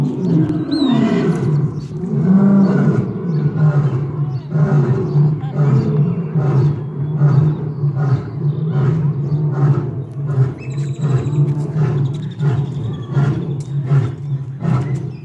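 Lions roar in deep, throaty surges, a steady rumbling chorus of low grunts.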